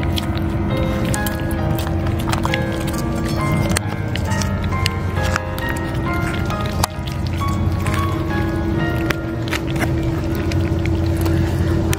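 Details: Steady music with sustained tones and light percussive clicks plays throughout, with no animal voice standing out.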